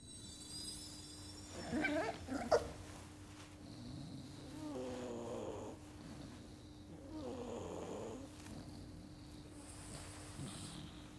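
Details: Labrador Retriever puppies sleeping and dreaming, from the documentary Secret Life of Dogs: a loud snorting burst, then soft, low, breathy snores with faint whimpering tones, over a steady electrical hum.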